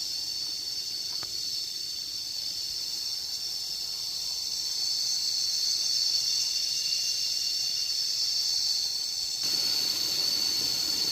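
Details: Cicadas droning outdoors in nature: a dense, steady, high-pitched buzzing hiss that holds unbroken for the whole stretch and swells slightly louder toward the end, with a faint click early on.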